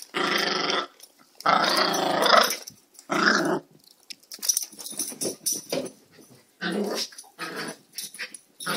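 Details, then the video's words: Playing dogs inside a small room give harsh, grating growls in three bursts over the first four seconds, followed by softer scuffling, brief noises and one more short growl near the end. "The dogs playing."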